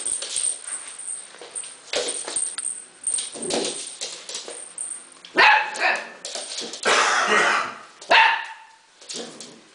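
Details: Husky puppy named Arya giving a run of short sharp barks and yaps, the later ones louder and more clustered, with a steady high electronic whine in the background.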